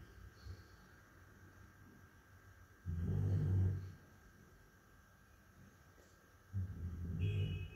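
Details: Labrador Retriever snoring in its sleep, deep low rasping snores about one second long, spaced several seconds apart with quiet gaps between.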